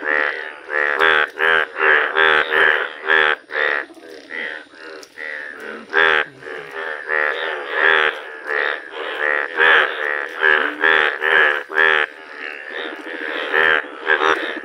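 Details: Yellow Indian bullfrog calling in a village: loud, nasal, harmonic-rich croaks repeated rapidly, roughly two per second, in an uneven series with brief pauses, followed by a few words of a man's speech.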